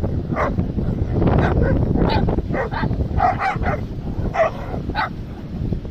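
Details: Dog giving sharp, scattered barks, about six in six seconds, some in quick pairs, against a steady low rumbling background noise.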